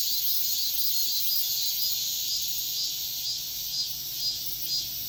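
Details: Dawn chorus of cicadas in Korea: a continuous high, shrill buzzing drone that pulses gently about twice each second, filling the whole recording without a break.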